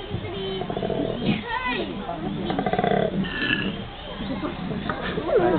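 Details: Koalas in Brisbane, Australia: deep, rasping growls in pulsed bursts, with people talking nearby.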